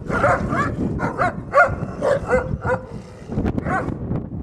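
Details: Wolf pack at The Wild Animal Sanctuary, in the den, as the alpha wolf keeps the other wolves out: a run of short, harmonic whining yelps, about eight bursts in under three seconds, a brief lull, then two or three more.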